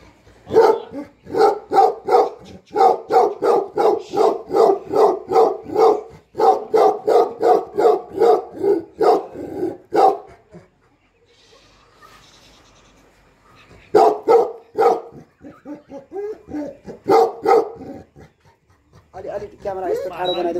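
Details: Bhote Kukur, a Tibetan Mastiff keeping watch over house and farm in Nepal while the owner is gone; a long unbroken volley of rhythmic deep barks for ten seconds, a lull, then further barking runs.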